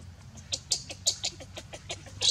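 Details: Leo, a hungry baby monkey, cries to its mother for milk with a quick string of thin, high-pitched squeals, about four each second, some louder than others, ending on a stronger shriek.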